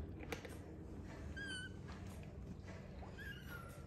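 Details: Kittens mewing quietly indoors: two short thin mews, each a high slightly wavering note, about one and a half seconds apart, over a low steady room hum.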